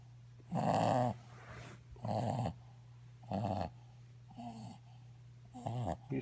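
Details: A dog snoring and snorting indoors. Rough, rasping breaths come roughly every one and a half seconds, five in all, over a steady low electrical hum.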